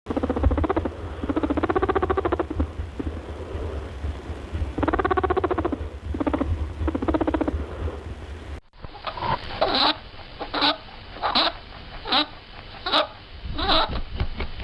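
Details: A house rabbit gives soft, pulsed grunting calls in short repeated bursts, then quick clicky chirps.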